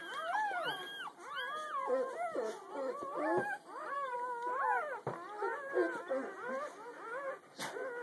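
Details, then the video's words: Puppies less than a day old, a whole litter the morning after birth, giving loud, wavering, howl-like squeals and whines that overlap, some sliding up sharply, others bending down, with brief pauses between bursts "Puppy noises from a less than day old litter"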